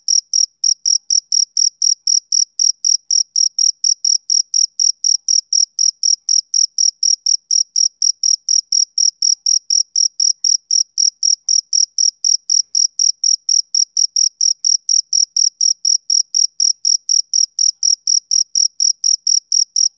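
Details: Male cricket chirping on a summer evening: clean, high, shrill pulses repeated steadily about four times a second, with an even, unbroken rhythm and no other sounds.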